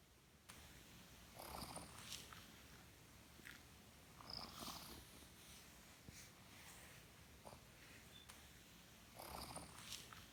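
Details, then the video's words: A sleeping female pet cat snoring loudly: soft, breathy rasping bursts come every few seconds, with quiet hiss between breaths and no other clear sounds. "Sleeping Cat - My cat is snoring loudly"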